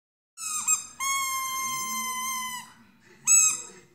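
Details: A dog howling along, giving long sustained tonal notes rich in harmonics that hold steady, then slide down, followed by a shorter rising howl after a pause; faint low background sounds underneath.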